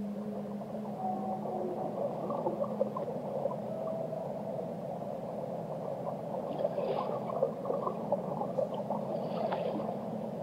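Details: Underwater whale song with a faint low hum and a brief higher tone, mostly buried in dense watery rumble, with a few soft clicks near the end.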